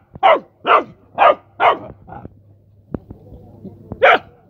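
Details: Rottweiler puppy playing with mice lets out four loud yapping barks, then quieter shuffling and clicks over a low steady hum before one final sharp bark.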